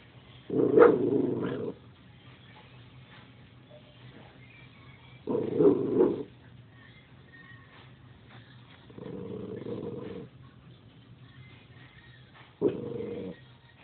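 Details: Dog barking at nothing: four separate hoarse, growling barks spaced several seconds apart over a steady low hum, the third softer and longer, the last short and abrupt.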